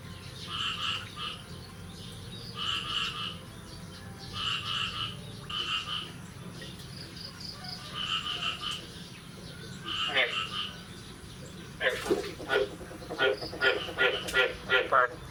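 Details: Frogs calling on the morning of 9 May 2022, after the first rain of the year: short nasal croaks repeated in uneven bursts roughly every second, then a faster, denser run of croaks near the end over a steady low background hum.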